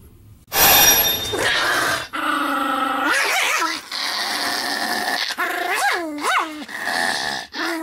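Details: Pomeranian named Sam, filmed 26 May 2015, jumping and spinning while barking nonstop; after a loud opening burst come drawn-out, rising-and-falling yelping barks with bright harmonics, several in quick succession.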